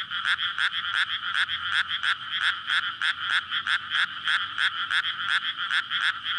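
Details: Frogs in a May rice paddy flooded ahead of transplanting, calling at night in courtship before laying eggs, captured with a Sony PCM-D100; loud grating croaks in bursts roughly every second or less, overlapping neighbours filling the gaps.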